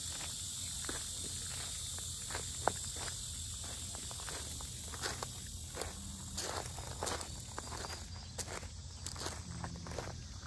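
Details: Cicadas keep up a continuous high hissing drone during a walk around the Sinjeongho lotus park in Asan, Korea, while crisp footsteps tap loudly and regularly in the foreground.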